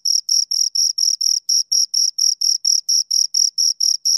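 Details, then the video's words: Pair of crickets giving crisp, high, rhythmic chirps, each a brief scraping burst with a short gap, roughly four per second, in an otherwise silent background. "Two Crickets Chirp Sounds"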